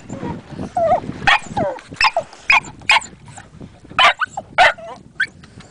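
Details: Dog named Hector barking in a series of sharp yaps and yips, with whimpering between barks and a person speaking in the background.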